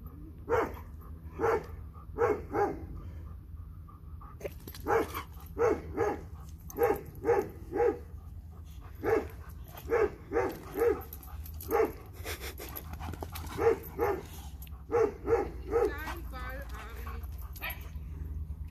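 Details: A dog from a Dobermann and Boxer pair barks, eager to play with its ball. Loud, deep barks come in steady bursts of two or three, about every second, for the whole stretch. A voice is heard faintly near the end.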